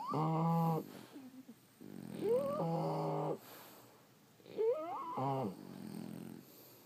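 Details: French Bulldogs asleep, snoring in loud rasping breaths about every two seconds, each rough inhale topped by a rising squeaky whistle, with quieter wheezy exhales between.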